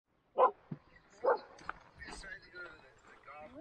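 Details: Standard poodles out on a family hike around Sun Valley and Ketchum, Idaho: two sharp, loud barks about a second apart open the moment, followed by quieter yips, rustling and a person talking to the dogs.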